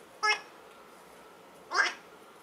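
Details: Eight-week-old Schipperke puppies: two short, high, harmonic squealing yelps about one and a half seconds apart, each rising and falling briefly, with quiet room background between them.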